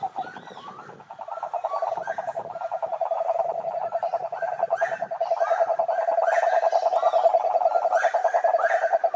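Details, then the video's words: Cururu toads (Rhinella marina) calling at a lake in Brazil's Atlantic forest: a steady, low, rapidly pulsed trill that swells in after the first second and runs on without a break, with scattered higher chirping calls above it. "CANTORIA DE SAPOS CURURU"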